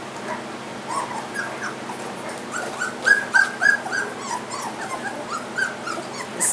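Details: Three-week-old Goldendoodle puppies in a litter wearing coloured ribbons; short high whimpers and squeaks, a run of three close together midway, over a low steady background hum.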